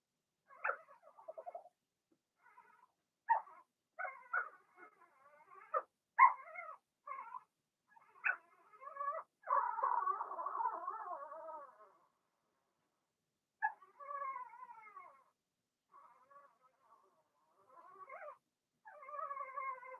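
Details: Indoor puppy pen holding Remy's first litter, six Blenheim Cavalier King Charles Spaniel puppies born in March; brief high squeaks and yelps scattered across the recording, with one sustained wavering whine in the middle.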